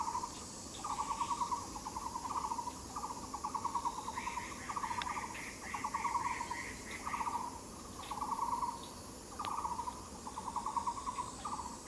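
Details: Katydid filmed on the Yixuekeng trail: rasping pulsed buzzes repeated in short bursts about once a second, each a rapid train of clicks, with a fainter, higher pulsed chatter overlapping in the middle and steady background hiss.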